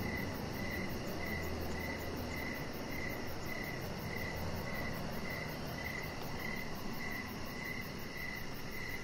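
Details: High, even cricket chirps in the evening outside a deck, steadily repeated with a faint rapid ticking above and a continuous low rushing background.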